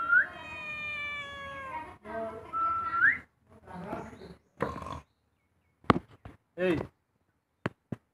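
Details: House cat meowing indoors: drawn-out tonal meows with rising ends, two long calls in the first three seconds, then shorter broken meows and brief clicks between quiet gaps.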